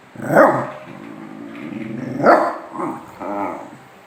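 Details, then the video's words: Pet dogs play-fighting, two loud barks about two seconds apart with low grumbling growls between and after them. "Grừ khịa nhau mà nó lạ lắm | Toàn nghe ngào ngào với khạp kạp"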